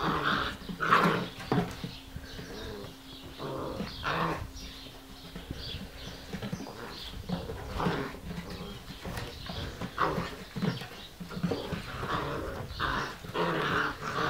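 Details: Giant Schnauzer giving irregular, rough, broadband dog vocal bursts spread across the clip, some spaced a second or two apart, with fainter high squeaky notes between them and steady low background rumble.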